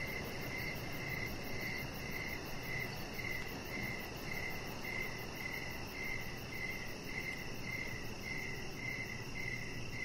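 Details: Crickets at evening beside a deck strung with decoration lights, chirping in a brisk regular pulse of short bright notes, with a fainter high ticking layer and a constant low, airy background rumble.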